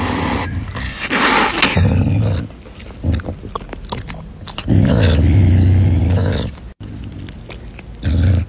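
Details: Caracal growling while eating chicken, deep low rumbling growls in bursts, loudest around two and five seconds, with broadband crunching and handling noise between.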